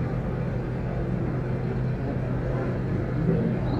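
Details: A continuous low rumble of vehicle noise fills the recording. No animal calls stand out above it.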